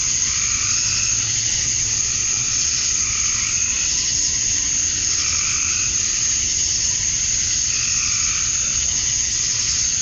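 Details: Summer-night cicadas in Georgia, USA, males chirping for females at dusk: a continuous high, sizzling drone holds level throughout while intermittent warbling pulses rise and fade every couple of seconds.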